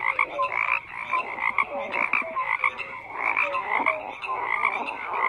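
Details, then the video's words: Frogs croaking in a dense chorus, many overlapping voices: short pulsed croaks and brief whistled tonal notes near the middle range, layered with a steady higher trilling band, continuous without pauses. "FROGS CROAKING"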